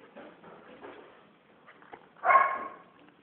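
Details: Female Belgian Malinois puppy, three months old, in obedience training: after soft background sounds and faint commands to sit, a single short, bright bark bursts out near the end, then fades.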